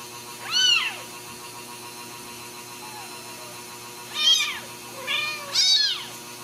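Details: Ragdoll kittens in a home cattery in central Kansas, with their mother nearby, crying in high, arched mews: one near the start, then three more in quick succession toward the end, over a faint constant hum.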